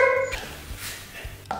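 A Cocker Spaniel barks on command for a treat: one bright, ringing bark opens, and a second follows about a second later. A person's voice is heard giving commands between the barks.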